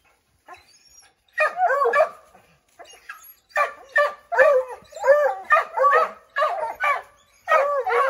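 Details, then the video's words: Pack of five Redbone Coonhounds treeing a chipmunk up an oak tree; a few faint barks, then a steady run of loud bawling barks, roughly one per second, from the group. "Redbone Coonhounds Tree a Chipmunk"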